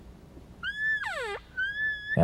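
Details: A bull elk chuckles during elk hunting among aspen trees and black timber. It gives high whistled notes with a steep falling slide, ending in a rough burst.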